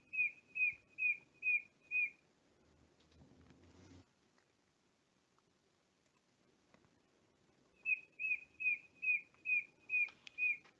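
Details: Darwin's frog, which sings from the forest floor and is hard to see for its camouflage, gives clear, high, bird-like whistled peeps: five in quick succession, a pause with faint rustling, then seven more at the same steady pace.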